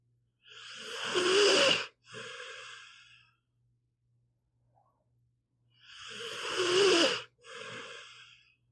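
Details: Sleeping pit bull Meatball snores in slow cycles. Each harsh, wheezy intake is followed straight away by a briefer airy outbreath, and a long silent pause comes before the next. A faint low hum runs underneath.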